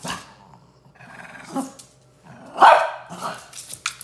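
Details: A Shih Tzu, one of a pair of pet dogs, reacts indoors to a new orthopedic cuddler bed. A short, rough bark or growl rises mid-clip among soft rustling and scraping handling noises.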